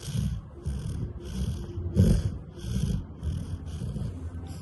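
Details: Labrador Retriever snoring in deep sleep at home: soft, low rumbling breaths repeated roughly every second and a half, each with a faint hiss, one louder snort near the middle.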